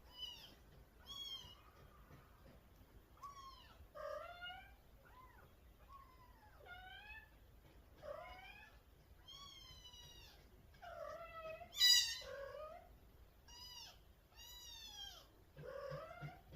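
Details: Mother cat calling her sweet kitten with clear, varied meows: short rising chirps mixed with longer wavering mews, spaced irregularly, one louder sharp cry near the middle, quiet background.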